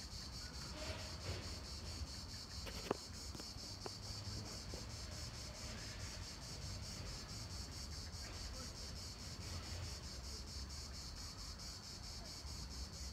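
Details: Cicadas singing in the park of the Palais du Gouverneur in Nancy, France, at the end of July 2017: a continuous high, hissing buzz made of rapid, evenly spaced pulses, over a steady low rumble and a few faint background knocks.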